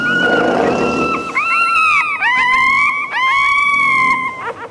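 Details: Whining puppy cries, used to attract dogs' attention: sustained high harmonic whines that hold steady, dip briefly and swoop upward, over a noisy hiss at the start.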